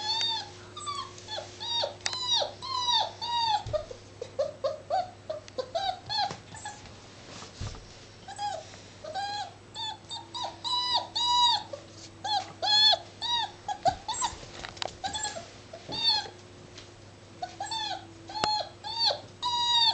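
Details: Playing Labrador Retriever pup aged seven weeks: dense runs of shrill whines and yelping squeals, arched in pitch, repeated almost continuously over twenty seconds, with a low background hum.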